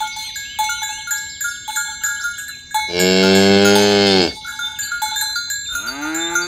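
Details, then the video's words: Tame village cattle being herded along rural roads toward the pen in the morning: one long, steady, low moo of about a second and a half. Clinking cowbells ring before and after it. "Suara Sapi Moo"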